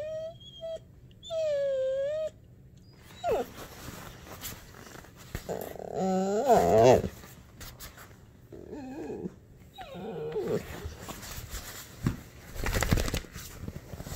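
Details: Ember, a female dog about to turn one year old, lets out long pathetic cries indoors when petting stops: high wavering whines, a sliding moan-like cry around six to seven seconds, then shorter whimpers and rustling.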